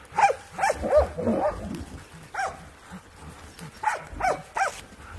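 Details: Laika hunting dog during a wild boar hunt carried out for African swine fever control; sharp, harmonic barks in a quick irregular series, about seven within five seconds, with rustling undergrowth between them.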